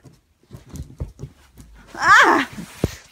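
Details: A Great Dane, apparently jealous of his dog brother, gives a single whiny, falling bark after his owner softly asks why he is mad.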